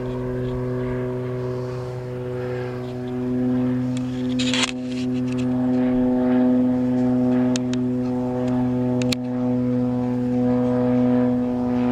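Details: Continuous low droning hum with steady tones, like an idling engine or machine, plus brief clatters and knocks; no animal call stands out.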